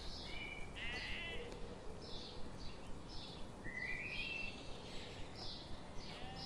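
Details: Grazing sheep in a forest in morning sun give quavering, bleats one after another, some higher and thinner, with a soft, regular ticking in the background.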